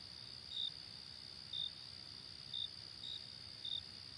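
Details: Crickets in a daytime chorus. Five short, high chirps spaced roughly a second apart ride over a continuous shrill background trill, with a faint low hum beneath.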